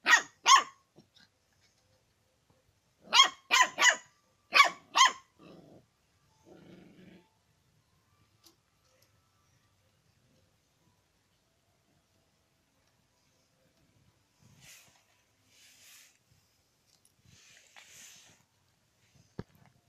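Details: A dog that wants to eat chicken gives loud, clipped barks in two quick volleys early on, then a short low rumble, followed by a long near-silent stretch with faint scattered noises.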